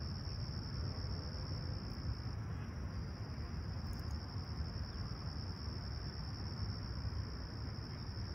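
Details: Sunrise cricket chorus in Toronto's Humber Bay Shores on calm, clear July 28, 2020, around 20ºC: a shrill steady trill that briefly falters and resumes, a deep constant rumble underneath.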